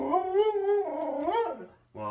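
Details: Pet dog indoors, being left by its owner, giving a sustained, wavering whine that rises and falls for about a second and a half, then a new whine starts; a person talks to it.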